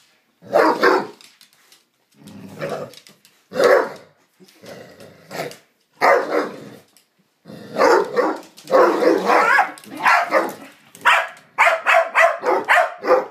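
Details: Psyche and Harvey, two pet dogs playing together, trade strange noises: short grumbly barks and growl-like bursts in irregular clusters, quickening toward the end into rapid repeated yips.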